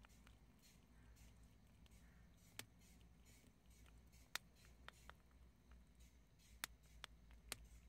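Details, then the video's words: Chickpeas being chewed by prairie dogs: irregular crisp cracks and crunches, a few spaced apart and then a quicker cluster near the end, against a quiet indoor background hum. "프레리독 병아리콩 씹는소리를"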